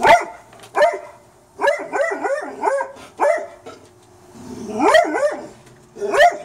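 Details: Late at night a pet dog barks in the backyard at a raccoon that leapt off the deck and escaped; rapid runs of sharp, mid-pitched barks in quick clusters, pausing briefly between bursts.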